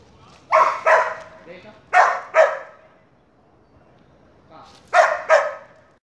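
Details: Energetic Border Collie in an obedience training session: three quick pairs of sharp, high-energy barks, each pair a fraction of a second apart, separated by a short quiet pause.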